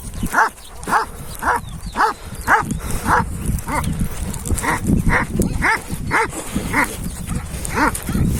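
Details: Purebred Kangal named Hançer, son of Kurtboğan, filmed 26 April 2024, gives deep, resonant barks in a steady series, about thirteen over eight seconds, roughly one every 0.6 seconds, with rustling wind noise underneath.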